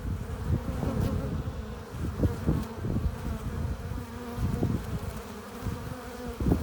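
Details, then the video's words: Honey bees crowding the hive entrance with pollen and nectar make a dense low-pitched drone, punctuated by repeated quick swells of bees flying close every second or so. "15 minutes of bee hive entrance! Relaxing sounds! Buzzing sound efects"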